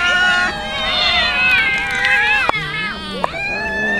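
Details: Hungry street cats fed tuna fish keep up overlapping meows, with a low human voice and a couple of sharp clicks in the background.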